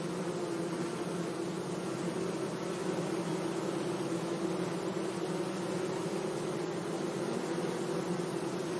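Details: Bees gently buzzing among flowers in a sunny meadow: a steady, unbroken low hum with a deeper and a higher droning layer holding level throughout, over a soft constant hiss, with no other clear sounds.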